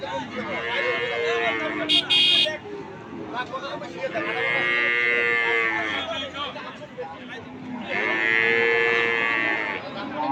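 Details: Cattle lowing at a cattle market: two long, loud, steady moos of about two seconds each, with a brief vehicle horn toot early on and crowd noise throughout.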